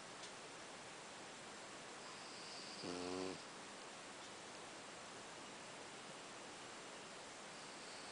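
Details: A sleeping black Pekingese snores, giving a single short, low, rasping snore against a steady background hiss.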